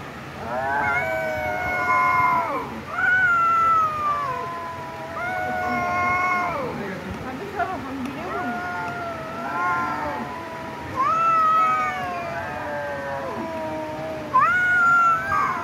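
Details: A cat gives a long run of drawn-out, wavering meows, each sliding down at the end and repeating every couple of seconds, with some pitched higher and more insistent.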